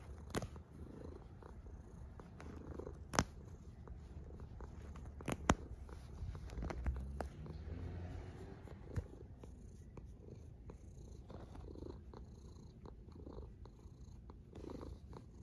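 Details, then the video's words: One cat snoring in slow breath cycles, about one every two seconds, each a soft low rasp that swells and fades, with occasional small clicks. "A snoring cat"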